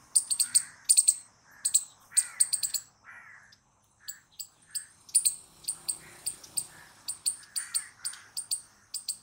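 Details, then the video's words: Squirrel giving sharp, high chips in quick bursts of three or four, with brief pauses between bursts. Softer, lower squeaky notes sit underneath. "Squirrel Noises Loud | Squirrel Sound Video"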